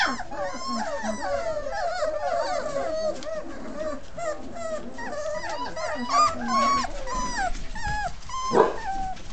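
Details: Basset Hound. Several Basset Hound puppies cry at once, filling the air with thin, wavering whines and short yelps that rise and fall. Occasional low grumbles and a brief thump break through the steady chorus.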